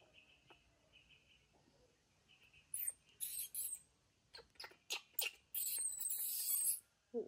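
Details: Newborn baby monkey answering its mother: a few soft, thin, high chirps at first, then loud shrill squeals in a rapid run of short bursts, ending in one long sustained squeal and a final brief cry.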